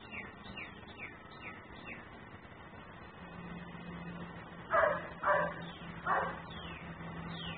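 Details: Dog left outside by its owner, barking persistently as a neighbourhood nuisance, picked up by a security-style camera: three rough barks in quick succession midway, with faint descending chirps overhead and a low steady hum.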